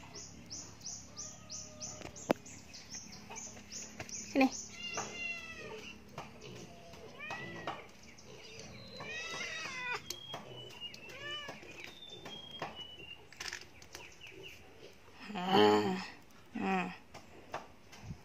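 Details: A beloved pet cat that climbed up and cannot get down gives a series of drawn-out, arching meows, some rising then falling. A person talks to it, and a few high chirps come early on.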